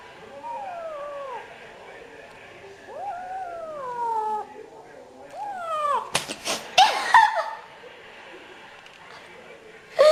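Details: A cat repeats drawn-out, falling meows in a plaintive caterwauling series, interrupted midway by loud rustling and knocking, then a final short meow.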